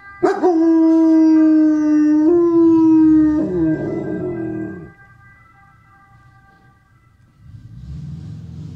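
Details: A German Shepherd, howling on hearing an ambulance siren, gives a long, steady howl that wavers and breaks before fading out.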